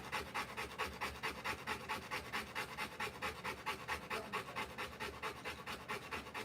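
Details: Rottweiler mother panting while giving birth to puppies, indoors in dim light: fast, even breaths repeated a little over twice a second, each a broad breathy burst, steady throughout.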